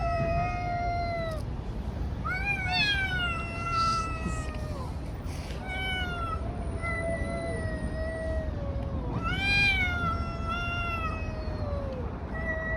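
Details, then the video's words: Cats in a street fight trade loud, strained yowls and moaning caterwauls, overlapping and bending downward, with brief harsher shrieks; constant low background rumble from the street. "Cats fighting on the street making strange noises. Cats Fight"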